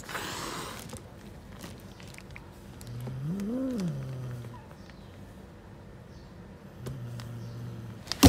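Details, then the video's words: Angry stray mother cat living on the street, guarding her kittens and keeping everyone away: a low moaning growl swells and falls mid-clip, then a steady low growl returns near the end, closing on a sharp knock. "Angry Mother cat protects her Kittens and doesn't let anyone approach them"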